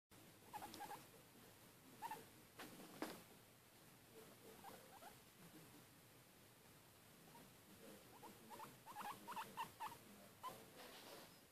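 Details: Pet guinea pig, female and recently acquired, eating indoors; soft, short squeaks come in small clusters around the middle pitch, along with quiet rustling and chewing patter throughout.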